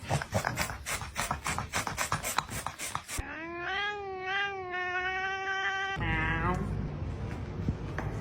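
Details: Cats making weird sounds: harsh rapid rasping chatter for three seconds, then a long drawn-out wavering yowl sliding slowly up and down, followed by a shorter falling moan.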